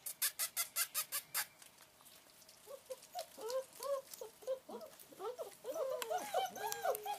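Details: Long Coat German Shepherd puppies playing in the rain: a burst of sharp patter-like clicks opens, then several overlapping high arched whines and yelps rise and fall through the second half.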